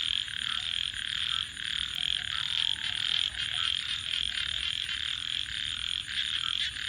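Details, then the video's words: Frogs calling at night beside a campfire: a dense, shrill, trilling chorus that pulses steadily without pause. A faint constant high whine sits above it, and a few soft low notes come through near the middle. "frogs 🐸 Sounds"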